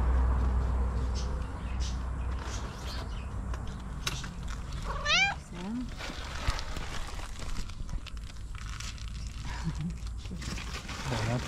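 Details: Tuxie, a pet cat, meowing happily on seeing the people; a single drawn-out meow with stacked harmonics rising then falling, amid a voice coaxing her to come for breakfast and steady low background hum.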